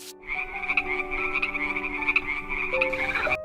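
Frogs croak in a dense, pulsing chorus, with faint steady musical tones underneath.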